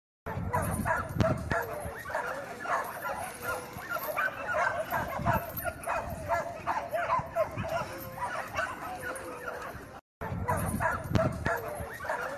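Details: Several American Pit Bull Terriers in a kennel yard in China barking together, dense overlapping sharp barks about three per second, uneven in rhythm, with a brief break near the end.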